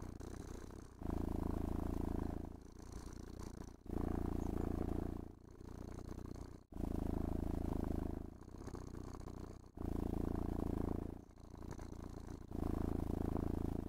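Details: Happy cat purring during grooming and caressing at home: a steady low rumble rising and falling in regular breath cycles roughly every three seconds, with brush strokes audible as faint scraping hiss.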